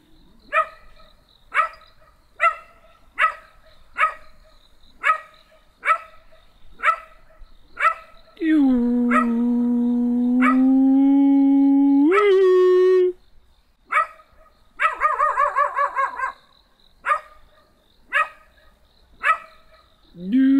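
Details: Small black dog barking in a steady series of sharp barks, interrupted by a long droning humanlike howl, a rising whine and a run of wavering yelps, then more regular barking.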